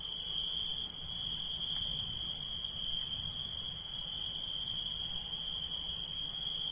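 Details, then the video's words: Constant shrill trilling of night insects, rapidly pulsed and steady in pitch, with a thin high shimmer over it and no other clear sounds. "Relaxing Insects Sound"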